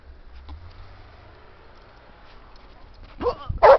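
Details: Sam, an English Springer Spaniel romping with a second dog in a snowy park, gives two quick barks near the end after a long stretch of faint low rumble and shuffling.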